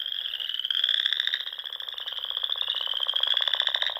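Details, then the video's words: Frogs calling together at dusk in spring around Sandhills lakes in Nebraska: continuous high, vibrating trills layered with a lower rapid rattle that rises and falls in waves. "RELAXING SOUNDS OF FROGS"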